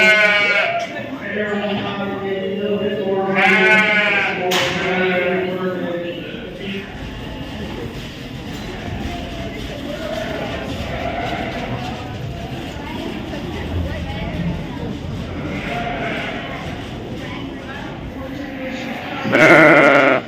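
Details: Wavering, quavering bleats from sheep shown at the 2023 Royal Winter Fair in Toronto, Canada, several overlapping in the first seconds, then a murmur of crowd voices and hall noise, with one more loud bleat near the end.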